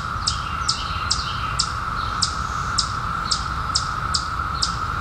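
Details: A 17-year periodical cicada chorus emerged in 2021 hums as a steady, unbroken drone, with sharp high chirps ticking over it.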